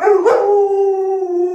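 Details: Luoluo, an Alaskan Malamute kept as a pet, howls as its sick owner stays in bed: a brief rough onset opens into a sustained, even, tonal howl lasting over a second.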